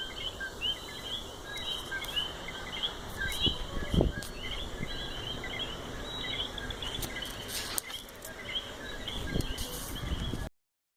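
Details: A dense chorus of coqui frogs in their natural habitat in Puerto Rico, many short chirping notes overlapping steadily through the night air.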